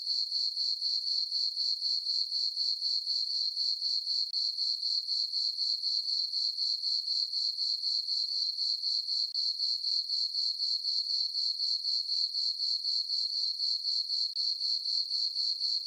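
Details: A long stretch of cricket chirping from a peaceful summer night on a farm meadow under the full moon, a high ringing trill beating regularly about four times a second throughout.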